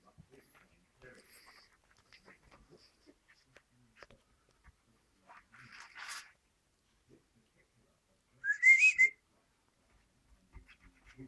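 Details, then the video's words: Six-week-old Standard Poodle puppies playing in their pen; after faint scratching and rustling, one short, high, rising squeaky whine with a wavering tail stands out, then quiet shuffling returns. "6 week old standard poodle pups playing in their pen"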